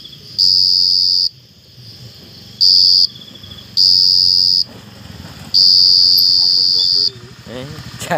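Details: Bursts of loud, high cricket trilling, each lasting one to one and a half seconds, alternate with quieter gaps in which human voices and handling noise are heard.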